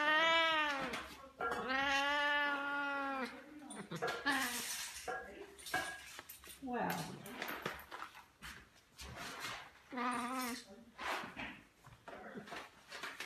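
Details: Indoor pet cat giving several meows, two long wavering ones early then a shorter one later, interleaved with a woman repeatedly asking whether it wants a coffee.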